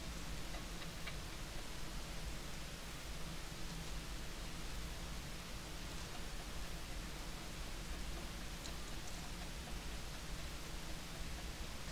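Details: Steady broadband hiss like rain or wind noise fills the recording, with no animal calls standing out.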